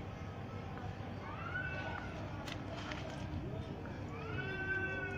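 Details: Outgoing kitten that wanders and finds food on its own while littermates sleep in the nest gives two arched, rising-then-falling meows about two and a half seconds apart, with a low rumbling hum and faint clatter behind.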